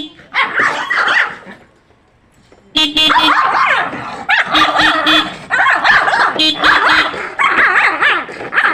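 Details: Pet dog barking angrily in reaction to the sound of a horn; sharp, dense barks in quick bursts, a short burst at the start, a pause, then sustained barking from about three seconds on, with a person's voice faintly mixed in.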